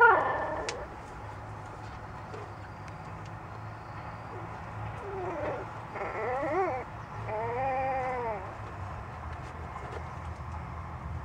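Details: Puppy giving cute little howls: several rising-then-falling whining tones in the middle stretch, the longest lasting about a second, over a steady low background hum.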